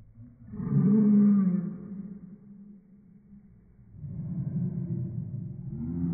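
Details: A Chihuahua bark slowed down into a deep, drawn-out roaring tone with layered harmonics. A long first burst fades, followed by a second rumbling swell.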